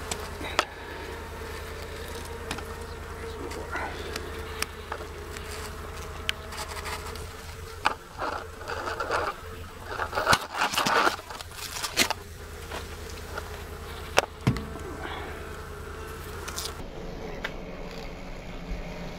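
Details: Wild honey bee colony, hive about 10 feet long and near 200 pounds, under a mobile home during a live removal; constant bee hum beneath scraping, knocking and occasional speech.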